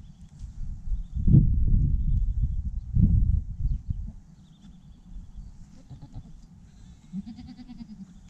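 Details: Newborn goat kid, the first of the year, gives two short, strained bleats near the start, heard over heavy low rumbling and handling noise; fainter thin calls follow toward the end.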